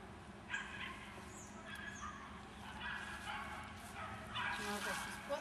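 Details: Smooth Collie puppy, five and a half months old, meeting sheep; short yapping barks come in bursts over steady outdoor background hum, with faint human voices.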